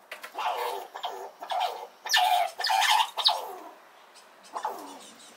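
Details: Small red squirrel squeaking loudly as another squirrel approaches at a nut feeding spot, defending itself; a run of nasal, arching squeaks, some doubled, coming in uneven bursts with short pauses.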